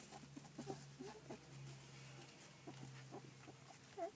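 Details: Fourteen-day-old Collie puppies, filmed 9 July 2012, making soft short grunting squeaks in quick clusters, with brief pauses between bursts and a steady low hum underneath.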